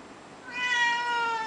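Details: Russian Blue cat wanting to go outside, one short rising-then-steady meow with clear harmonics, heard indoors over a faint background hiss.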